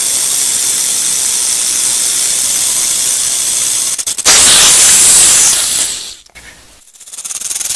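A rattlesnake's dry, hissing buzz of a rattle, steady and then suddenly louder before cutting off.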